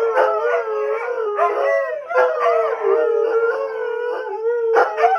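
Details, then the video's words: Three domestic greyhounds imitate siren wails from a police program on television, producing overlapping long howls, one steady low tone held beneath higher voices that rise and fall, with short breaks near two and five seconds. "Our 3 Greyhounds Howling at Live PD Sirens"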